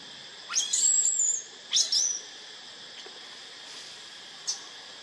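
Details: Baby monkey in the jungle calling its mother for help: two long, high, thin whistled cries that rise sharply and then hold level, a short squeak later, over a steady drone of insects.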